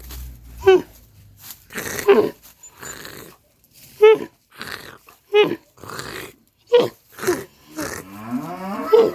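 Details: Camel producing a series of rough, gurgling growls, about seven loud bursts spread over nine seconds, each short and raspy with brief quiet gaps between.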